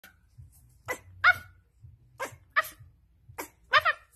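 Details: Pit bull dog giving a series of short, sharp barks, about six bursts spread across the few seconds, with a low rumbling hum underneath.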